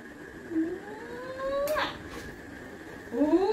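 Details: Whining Labrador Retriever, apparently Coco: a thin, steadily rising whine over about a second, a brief noisy burst, then a shorter, louder rising whine at the end.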